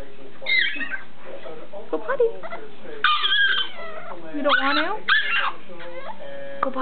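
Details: Roscoe, a dog throwing a fit in a pen he hates, gives high, sliding whines and yips that rise and fall in quick bursts, while a person nearby talks to him about treats and playing.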